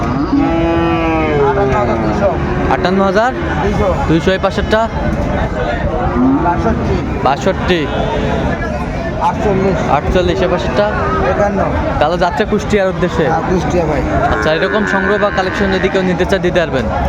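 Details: Sahiwal cattle, bull calves, at a cattle market in Kushtia, Bangladesh, on 13 February 2025. Low, drawn-out moos with rich harmonics come near the start and again around two, six and eight seconds, over steady market chatter and crowd noise.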